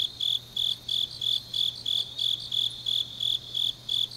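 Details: Deep-night autumn chorus of grass insects in Changnyeong, Korea: bright, piercing chirps evenly spaced about three per second, overlaid by a lighter, rapid higher trill and a quiet low hum throughout.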